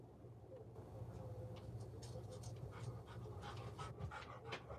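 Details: Golden Retriever caught on a home surveillance camera, panting in quick, uneven breaths of soft breathy noise, about two to three per second, faint against a steady low electrical hum.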